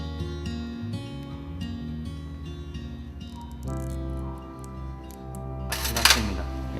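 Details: Steady background music plays throughout, with a short sharp burst near the end. No animal voice can be picked out.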